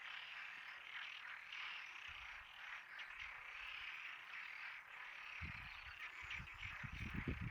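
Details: Frog chorus forming a continuous wash of croaking and trilling, with thumping low handling noise toward the end.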